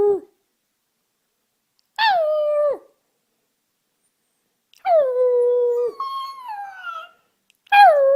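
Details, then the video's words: Puppy learning to howl, producing short, clean howls that slide down then level off, spaced by clear silences; one howl ends in a higher trailing note. "Cutest Puppies Learning to Howl"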